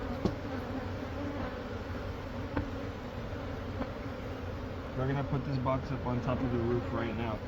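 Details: Massed honey bees at a hive removal from a Catholic church wall in Monrovia give a continuous low droning hum. A man's voice joins over the buzz in the last few seconds.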